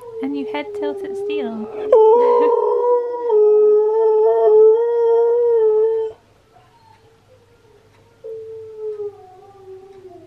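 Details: A husky's singing, from Steel the husky, which Key reacts to with many head tilts. Choppy yips and short cries lead into a long, sustained, even howl lasting several seconds. After a pause, a faint, softer howl trails at the end.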